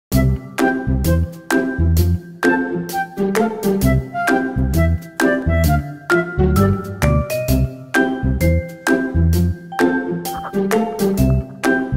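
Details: Cheerful jingling music with chiming notes and a bouncy beat plays throughout.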